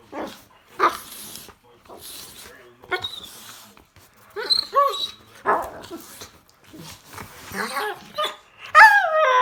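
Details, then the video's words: Happy Rottweiler puppy making funny noises: short yelps, barks and bent whining squeaks in scattered bursts, with a person talking between them indoors. "Rottweilers make some crazy noises when there happy"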